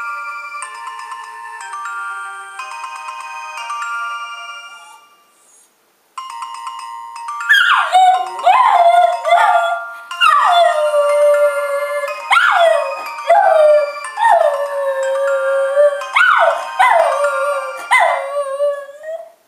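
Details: Cooper, a dog, howling in response to a Palm Treo ringtone: a chiming electronic ringtone plays for about six seconds, then a run of swooping, wavering howls rises and falls over the continuing tones until the end.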